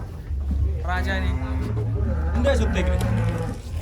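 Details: Giant cross-Brahman cattle from Probolinggo, Indonesia, being unloaded from a truck at a cattle contest; deep, droning low moo with rich harmonics held for several seconds, while people talk nearby.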